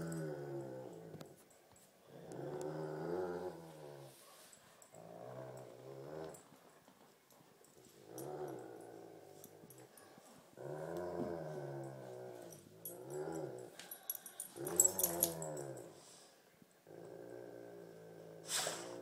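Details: Great Pyrenees Thumper and Tibetan Mastiff Baby Huey battle in a tug of war, trading deep harmonic growls in bursts of one to two seconds with short pauses between, plus occasional scuffling clicks.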